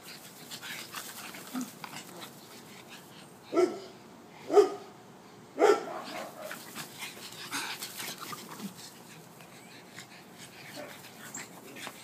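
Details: Dog playing in a garden: three loud, short barks about a second apart in the middle, with quieter rustling and faint sounds before and after.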